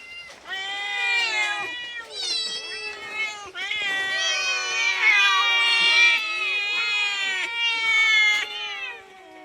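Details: Domestic cat asking for food, giving long, loud harmonic meows that run almost without pause and overlap, some rising then falling, with brief quieter gaps between drawn-out cries.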